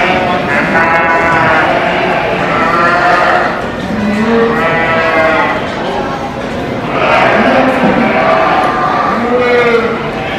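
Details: Sheep penned at the 2023 Royal Agricultural Winter Fair in Toronto, Canada, during the breeding sheep competition; long vibrating bleats, four or five bursts in ten seconds, some lower bleats between, over constant hall crowd noise.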